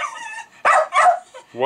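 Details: A pet Jack Russell Terrier named Milo yaps twice at fermenting beer. A man's voice talks to the dog just before and after the barks.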